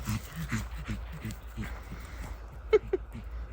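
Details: Pug dog out on a walk with its owner, who urges it to run after her; over steady low background noise and a woman talking, two short, sharp, high yips sound close together near the end.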